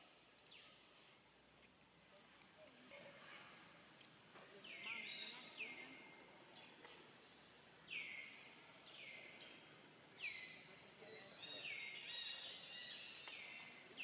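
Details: Young monkey Rainbow, alone, sad and hungry, looking around and calling for its family: about eight high, whistled calls that drop sharply then hold a flat tone, repeated every one to two seconds over a quiet outdoor hiss.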